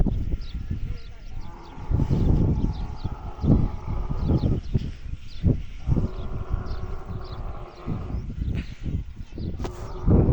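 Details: A camel crying loudly with deep, guttural, rumbling bursts of low-pitched sound, swelling and fading in several heavy pulses over about ten seconds.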